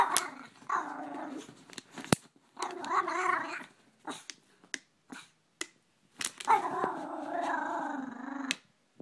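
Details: Gracie, a Brussels Griffon reacting to a water bottle she dislikes, gives long rough harmonic growls in three drawn-out stretches, broken by short clicks and taps.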